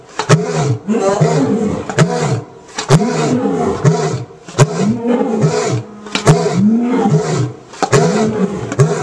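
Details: A lion at a big cat rescue gives a run of deep, throaty grunting roars, each one swelling and falling in pitch.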